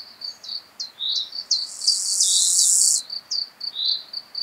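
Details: Gravel grasshopper at Taugl, Austria, on 6 July 2019. A loud, rough, high-pitched buzz lasts about one and a half seconds. Before and after it come short, thin chirps repeated several times a second.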